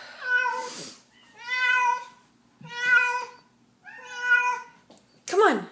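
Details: Feral cat let inside a house, calling repeatedly: four long, drawn-out, strongly harmonic meows of about a second each, spaced roughly every 1.3 seconds, ending with a short sharp noise.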